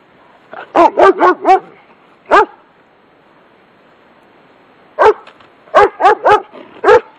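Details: German Shepherd barking from its yard at someone walking past: a quick burst of four loud, harsh barks, a single bark, then after a pause another run of five barks, with faint background hiss between.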